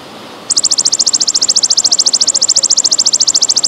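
A golden grasshopper gives a high, buzzy trill of rapid, evenly spaced pulses.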